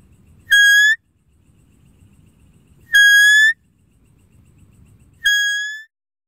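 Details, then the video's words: Three loud, steady whistled deer calls, each lasting about half a second and rising faintly at the tail. They are spaced about two and a half seconds apart, with a quiet low murmur between them. "Deer Calling Sound"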